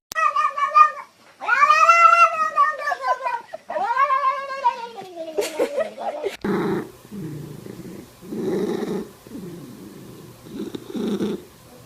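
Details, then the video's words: Domestic cat making weird noises: several long, wavering, harmonic yowls in the first six seconds, sliding downward, followed by a run of rough, lower, pulsed sounds repeating roughly every second. "Weird Cat Noises Compilation"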